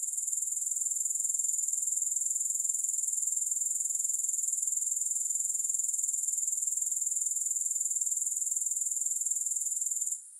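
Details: Grasshoppers sounding in a sleep and relaxation recording without music: a dense, high-pitched, rapidly pulsing insect buzz, continuous and even throughout, cutting off sharply in the final moment.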